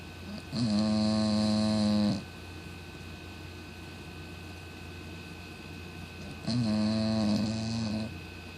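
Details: A female Cocker Spaniel of 17 lb snores loudly, each long rumbling breath lasting about a second and a half; her snoring wakes her owner at night.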